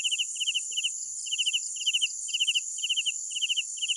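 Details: Crickets at night produce short bursts of two to four rapid chirp pulses, in slightly irregular groups, over a steady high buzzing chorus of many insects.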